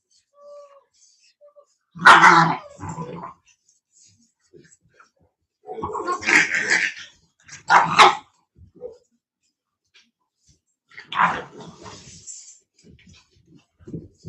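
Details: Italian Mastiff (Cane Corso) in a breeding pack near Nashville, TN, barking in spaced bursts: a loud bark at the start, a double bark a few seconds later, then a final bark, with faint human voices in the pauses.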